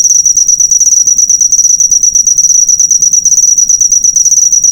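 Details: Cricket chirping, used to train cage birds: a shrill, fast-pulsing high trill in slightly uneven bursts, continuous across the recording with no competing sounds.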